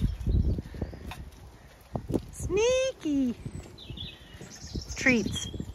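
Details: Zwartbles sheep on a regenerative farm in County Kilkenny, Ireland, calling to each other at feeding time: two drawn-out, falling bleats back to back, then a third a little later, over a woman's soft talk and faint chirping birds.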